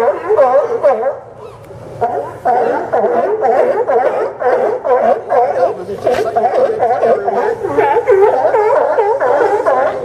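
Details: Sea lions barking at the Newport Sea Lion Docks, Port of Newport, Yaquina Bay, Oregon, on September 20, 2015: a dense chorus of hoarse, harmonic barks, about two per second, overlapping from several animals.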